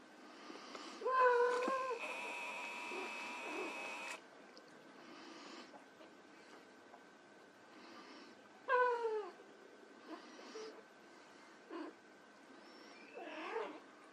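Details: White Persian kittens at play meow loudly several times, with a clear falling meow early and another near the middle and softer squeaks later. A burst of buzzing noise cuts in briefly after the first meow.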